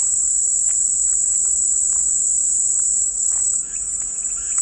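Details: Shrill, unbroken cicada buzz, very high and even, dipping slightly near the end, with a few soft chirps and ticks underneath.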